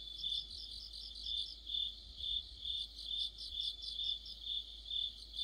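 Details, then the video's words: Crickets and fellow insects in a mid-autumn chorus: bright, high-pitched trilled chirps swelling and fading about twice a second, several singers overlapping, nothing else prominent. "가을의 한 복판 곤충들의 합창"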